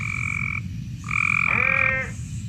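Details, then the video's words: Cope's gray tree frog mating call, males calling to attract a female with a harsh sound that can seem angry: two steady, grating buzzes, the second one ending in a brief, lower, wavering note. "That's the males trying to attract the female."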